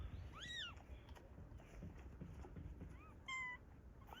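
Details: Domestic cat, a mother carrying her newborn kitten, met outdoors: two short, quiet meows, each a rising-then-falling tonal arc, one near the start and another about two and a half seconds later, over low background rumble.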